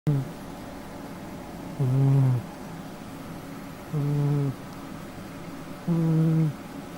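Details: Sleeping pet cat snoring indoors in a small room: low, buzzy snores with faint harmonics, each about half a second long, repeating roughly every two seconds against a quiet background hum.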